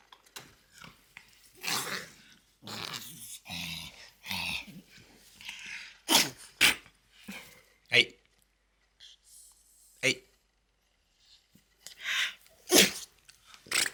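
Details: French Bulldog Loki making odd noises in a small room: raspy growling grumbles and wheezy snorts in short bursts, then sharp sniffs and huffs spaced every second or two, a human voice occasionally heard.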